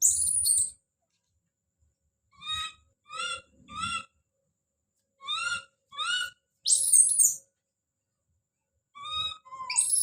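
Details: Baby monkey Don calling out with shrill, arched cries in short runs of two or three, separated by silent gaps, with brief hissy high bursts at the start, middle and end.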